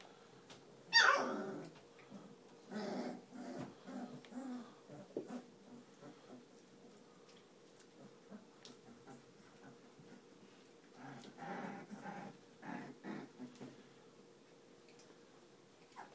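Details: Twenty-two-day-old Cane Corso mix puppies: one sharp, loud yelp at the start, followed by softer repeated whimpers and murmurs, with a steady low hum throughout.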